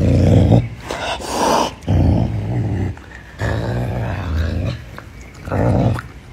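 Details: Low guttural growls from Pumba, a caracal feeding on chicken wings, in four or five loud rumbling bursts, each under a second long, with brief quiet breaths between.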